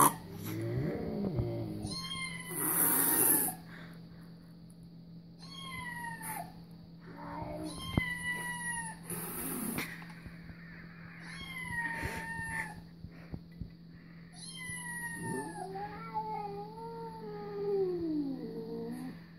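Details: Cat videos draw a reaction from Louis the cat: a long run of repeated meows, some short and high, others drawn-out and wavering, a few seconds apart, over a constant low hum.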